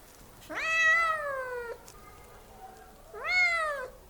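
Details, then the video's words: Loud cat meowing: one long, steady, nasal meow lasting over a second, then a pause and a second shorter meow that rises and then falls, with faint background hiss. "cat animal making loud noise voice meow meow"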